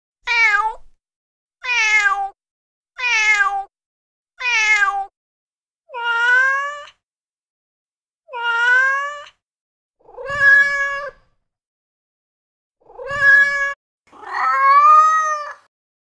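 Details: In-heat female cat giving mate-calling meows: four quick harmonic cries in a row, then longer, lower, drawn-out wails spaced several seconds apart, with a faint low thump under two of them.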